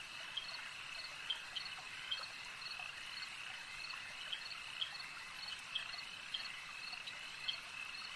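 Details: Lakeside frog chorus: a continuous high buzzing trill, punctuated by sharper, louder croaks roughly once a second, some standing out clearly above the rest.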